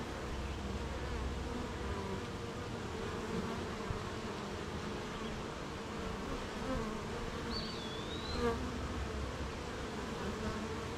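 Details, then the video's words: Rainy-morning beehive of honey bees making honey: continuous dense low drone of a crowd of bees, even in loudness, with a single high sliding bird whistle near the end. "Beehive RainyMorning"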